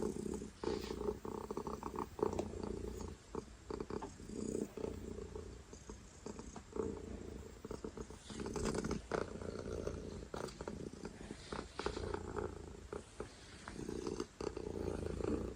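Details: Loud purring from a domestic cat, a steady low vibrating rumble rising and falling with each breath, crossed by frequent brief clicks and handling noises.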